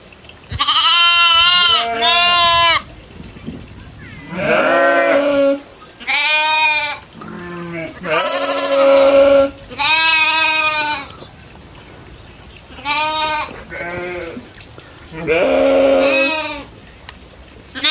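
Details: Goats bleating while herding and grazing in fields alongside cows, buffalo and monkeys on a farm; loud harmonic bleats in repeated bursts of one to two seconds, some wavering, with short quiet gaps between calls.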